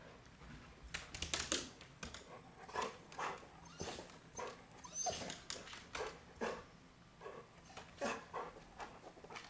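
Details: Frustrated Chow Chow goaded by a hide-and-seek chipmunk gives a steady series of short clipped barks mixed with whimpers, spaced under a second apart, with a few high whiny notes over a quiet background.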